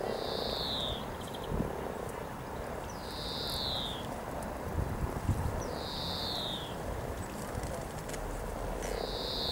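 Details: Mating frogs by the hundred at Cow Tower beside the river in Norwich, spring 2013, keep up a steady low croaking murmur while a bird repeats a sliding, falling whistle about every three seconds.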